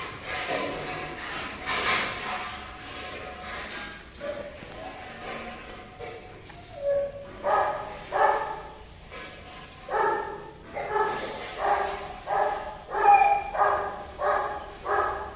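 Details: Golden retriever in the course of mating; a muddled opening with voices and faint music gives way to a quickening run of about eleven short, clear, tonal yelps, nearly one per second toward the end.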